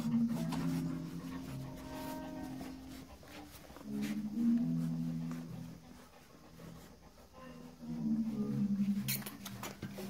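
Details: Golden retriever puppies about one month old whimper and whine in soft, wavering, low-pitched bursts.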